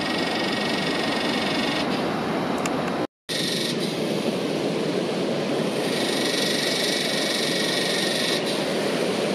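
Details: A yellowbelly cicada (Psaltoda harrisii) sings high in a tree behind beach sand dunes in Northern NSW, Australia: a steady, high buzzing drone that grows louder and brighter partway through, over rushing windy background hiss.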